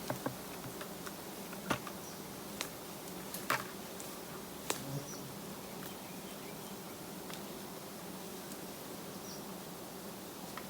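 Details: Low-hanging giant honey bee colony by a roadside during harvesting; a constant humming drone runs beneath sharp irregular clicks and knocks, several clustered near the start and middle.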